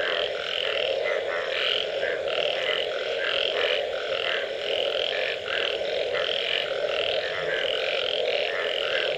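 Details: After rain, a thick frog chorus: many overlapping croaks pulse in quick, irregular bursts over a continuous humming drone, loud and steady throughout.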